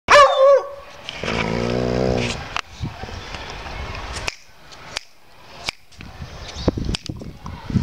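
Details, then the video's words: A dog howling like a wolf gives a brief high whine, then a wavering, tonal howl of about one second, followed by scattered clicks and handling noise. "Cute Dog 🐕 HOWLING Like Wolf🐺"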